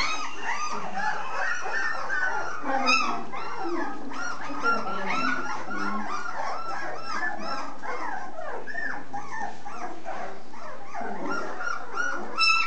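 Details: Full-pedigree Basset Hound: a dense, unbroken chorus of overlapping high whines and short yelps, several voices at once with no pauses, over a steady background hiss.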